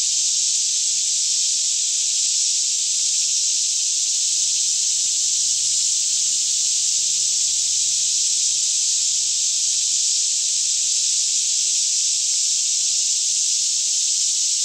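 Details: Morning cicada chorus surrounding the listener in lush Kentucky woodland near Franklin, roughly 10am, air fairly still; a sustained high, dense sizzling buzz stays level for the whole stretch, with a faint intermittent low hum. Canon 5D Mk2 stereo recording.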